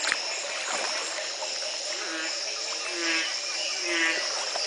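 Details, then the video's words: Frogs calling at the Community Baboon Sanctuary, Belize, in 2010, the morning after a single night of rain ended a three-month drought. Low, short notes repeat about once a second beneath a dense, steady high-pitched chorus of trills and buzzes. "Frog calls galore"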